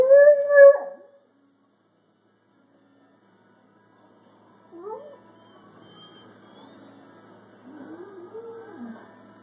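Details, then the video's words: Pet hound giving voice at a thunderstorm: one loud, drawn-out harmonic bay lasting about a second, followed by long quiet stretches with faint low whines. "Hound barking at storm"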